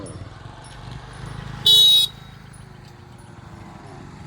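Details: Low outdoor traffic rumble, interrupted by one short, loud, high vehicle horn toot of about half a second; no animal sounds are heard.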